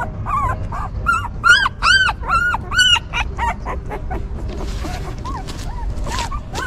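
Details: Newborn puppies of a stray mother dog that tenderly cares for them, whimpering in high, arched, harmonic cries that repeat two to three times a second, louder and longer mid-clip, then softer scattered squeaks with low background rumble.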